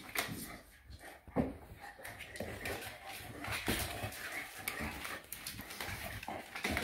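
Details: Shar pei Eva playing wild indoors, a steady stream of low growly grumbles and whimpering sounds mixed with scuffling and rustling throughout.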